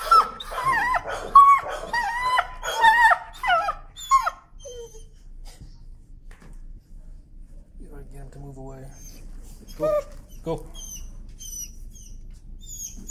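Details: Leash-shy timid dog screaming in protest during desensitizing work: a burst of sharp, harmonic yelping cries repeated rapidly for about four seconds, followed by a quiet stretch with a faint whine and distant bird chirps.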